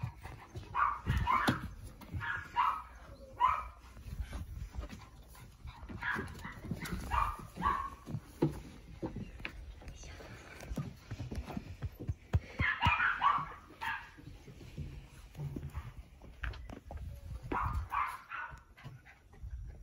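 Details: Playing indoors with the Blenheim female Sara, the tricolour male Cavalier King Charles Spaniel Yoichi from Fukuoka utters cat-like cries when excitement peaks: scattered clusters of short meowing yelps between scuffling and thumping noises.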